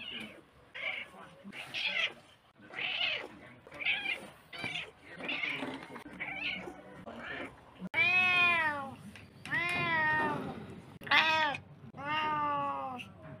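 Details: Domestic cat meows in a compilation: first half a run of short, higher, noisier calls, then after a cut three loud, long harmonic meows, each arching up and falling back.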